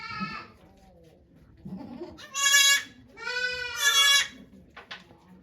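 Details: During the doe Okayu's delivery of twin kids at Yoshigake goat farm, Japan, on 3 May 2023, a goat gives a soft bleat followed by two loud, bright, drawn-out bleats about a second apart. Faint background rustling is audible.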